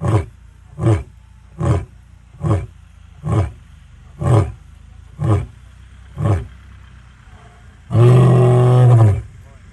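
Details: A male lion in the Sabi Sands gives deep, rhythmic grunts extremely close by, followed by one long, powerful roar.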